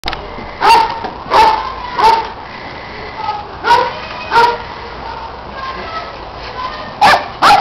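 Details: Dogs Orphy and Sandy at play, running and chasing a red Kong toy, with dog Peg supervising and neighbouring dog Riley adding noise; sharp barks with a tonal ring, loosely spaced, in pairs and clusters about every second.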